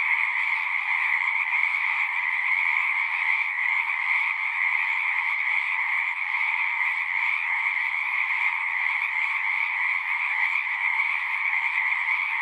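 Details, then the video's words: A steady wall of frog song, many callers trilling at once in a dense, even throb of middle and higher pitches, with a faint low hum under part of the stretch. "One hour of singing frogs."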